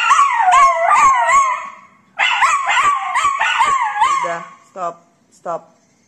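A Miniature Schnauzer howls in wavering, yodelling bursts that break off into short yips.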